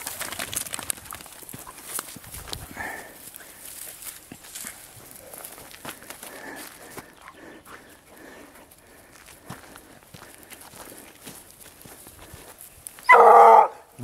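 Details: Vallezano hound Grapa on the scent of wild boar: a long stretch of quiet outdoor ambience with faint rustling and distant chirps, then one short, loud, tonal bay near the end.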